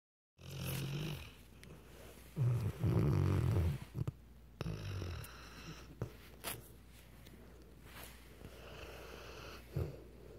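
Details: Weimaraner snoring indoors: a few loud, rasping low snores around two to four seconds, then quieter breathing with small clicks and rustles.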